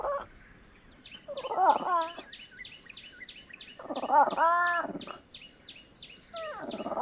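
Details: Fishing cat (Prionailurus viverrinus) giving three harsh, wavering calls about two seconds apart, each a rough rising-and-falling yowl with layered overtones, over a steady series of short high ticks repeated rapidly in the background.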